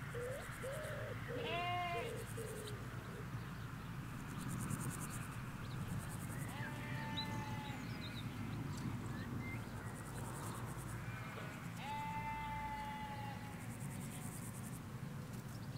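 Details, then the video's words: Ewes and their lambs in a field in the Hampshire countryside, taped with a stereo M5s pair set halfway along a hedge: three wavering, harmonic bleats spaced several seconds apart over a steady low rumble of distant road traffic, with faint high bird chirps. "4K Sheep Field - One Hour Sound and Video"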